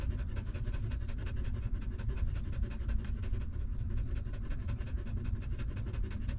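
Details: Newborn puppy feeding on its stray mother's milk: dense, fast, wet rhythmic sucking pulses, low and continuous, with faint quick ticks above.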